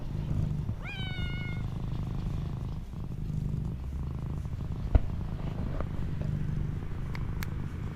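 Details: Stray street cat reunited with a person after three months apart, hugging them: one clear bending meow early on, then continuous low pulsing purr, with a few soft clicks and rustles.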